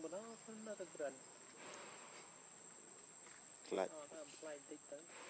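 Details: Hungry baby monkey Lucie begging for milk: short wavering whimpers and cries in two bursts, one at the start and one near the four-second mark, with a constant high-pitched insect drone behind.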